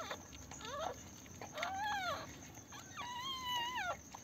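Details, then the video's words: Pomeranian puppies on their first day of life, born at home, whimpering in three rising-then-falling whiny squeals, the last one long and drawn out, over a constant faint high hum. "pomerian puppies first day"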